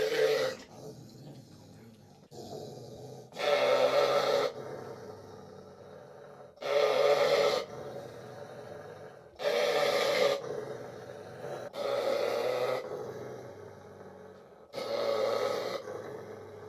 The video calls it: Springer Spaniel Dog Sound Effect (Royalty-Free, Free to Use)